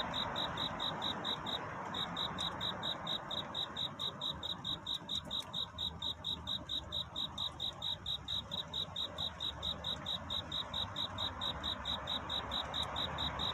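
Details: Night courtship song of a cricket seeking love at dawn: high, pulsed chirps repeated quickly and very regularly, with a short pause near the start, set against a constant soft rushing background.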